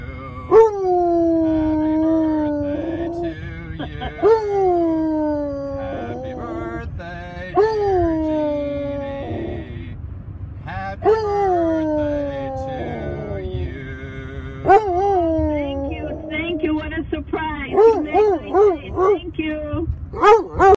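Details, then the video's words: Bruce, a Treeing Walker Coonhound, howls Happy Birthday on command from the passenger seat of a car driving down Lake Shore Drive in Chicago. Long, sliding howls waver up and down in sung phrases with short breaks, ending in quicker yipping bursts. "Treeing walker Coonhound Dog sings and howls HAPPY BIRTHDAY"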